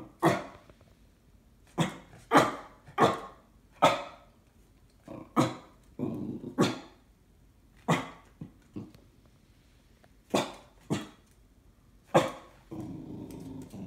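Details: Cocker Spaniel indoors barking suspiciously at a flat-pack furniture parcel; about ten sharp, loud barks in irregular bursts, some close pairs, with a low growly rumble between them near the middle and end.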